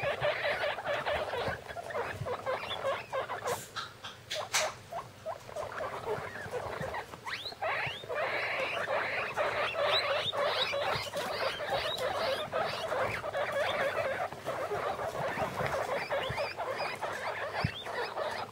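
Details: A second litter of guinea pigs aged fifteen days, six pups huddled in a plastic bin; dense, noisy mass of short squeaks and scratchy rustling, with a few sharp clicks early on and continuous chatter later.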